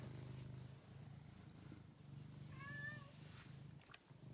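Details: A male pet cat, a rescue once found sick and thin in a basement, purrs with a low, steady rumble. A brief, higher, wavering meow-like note cuts in near the middle.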